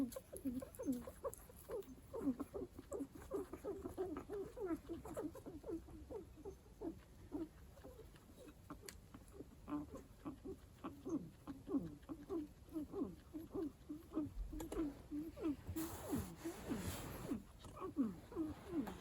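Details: A pet guinea pig whose owner says it has an unusual way of vocalizing gives a fast, steady stream of short, low squeaky chirps and chattering notes.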